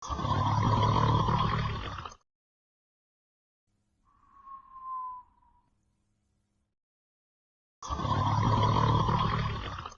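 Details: Redbone Coonhound asleep, snoring and whistling. Two long, loud, rasping snores about two seconds each, separated by a quiet pause holding one soft, short whistle.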